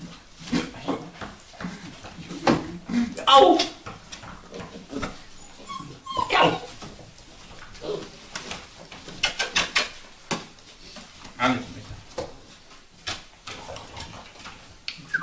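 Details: Vizsla puppies, Sejla, whimpering and yelping in short, scattered bursts, with a quivering whine near the start and a brief yelp midway, while people talk quietly alongside.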